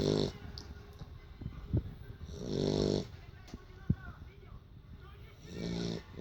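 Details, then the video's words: Low, raspy snores from a sleeping female Beagle, worn out after playing, come in long drawn breaths a few seconds apart, with a couple of sharp clicks and quiet room noise between them. "Бигль храпит!"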